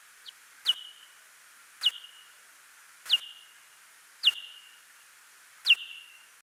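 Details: A pallid bat social call, recorded as an example of an audible bat call for survey volunteers: a quick downward-sliding chirp repeated about every second.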